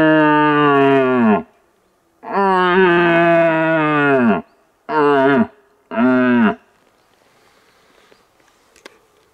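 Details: Red deer stags in rut in a young, rocky hillside forest roar, about 7–8 of them, deep and rich: one long bellow followed by shorter, forceful groans, replying after a tube lure.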